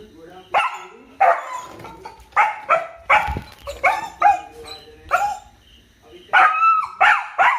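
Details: A male dog barks in short, sharp bursts, several in quick pairs and some spaced about a second apart, with voices talking in the background.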